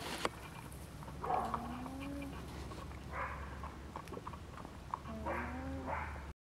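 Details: Soft, low humming from kept llamas, usually a sign of distress. Two drawn-out nasal hums each slide slightly upward in pitch and are separated by a few seconds of quiet background hiss and faint rustling.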